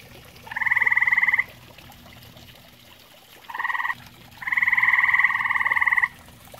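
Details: Pond-side grey tree frog, sharing the water with common toads, repeating pulsed, vibrating trills: a second-long burst, a short half-second one, then a drawn-out trill of nearly two seconds.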